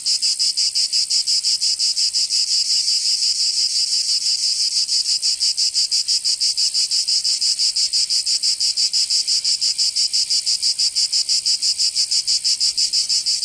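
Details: Cicadas in summer heat of Provence, in the south of France, produce a continuous loud high buzz pulsing rapidly and evenly, about three beats per second, with no other sounds present.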